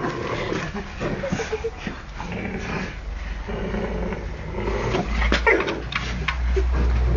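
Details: English Mastiff named Harry, a pet dog, attacking a broom alongside a German Shepherd called Cleo; rough, low growls and snorting scuffles run throughout, with people talking and laughing over the struggle.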